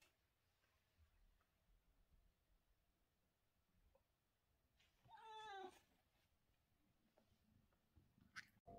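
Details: A British Shorthair cat gives a single drawn-out, wavering meow during the day against a quiet indoor background.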